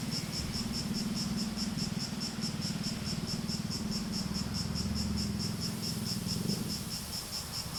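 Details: Shrill cicada song made of quick, evenly spaced pulses, a rhythmic high throb repeated several times a second, over a steady low droning hum.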